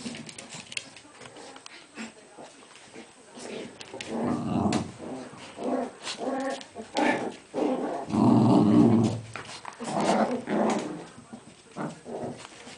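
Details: Cairn Terrier named Aisha, a mother with her puppies, giving low rumbling growls and short yelps indoors, rhythmic bursts about twice a second, one long deep growl midway, soft voices faintly underneath.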